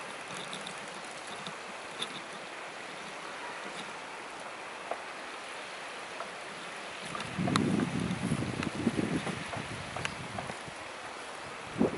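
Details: Steady rushing, stream-like noise with scattered clicks, then a louder low rumbling burst after about seven seconds, with no clear animal call.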